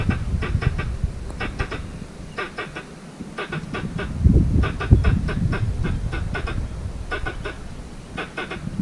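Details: Squirrel calling for a mate in a mango orchard, chanced upon during a walk: sharp clicking chucks in quick bursts of three or four, bursts following one another roughly every second, over low rumbling handling and footstep noise.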